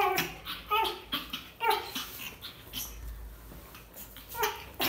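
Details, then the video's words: A 45-day-old pug puppy, scared, making short high whimpering and yelping calls repeated through the recording, with faint background noise and possible laughter indoors. "Pug scaring | cute dog | 45 days old pug"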